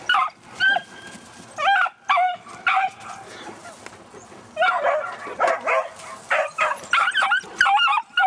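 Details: Pet beagle barking while chasing a Great Dane, with a second beagle also present: bursts of high, yelping barks, often in quick pairs, with short gaps between volleys.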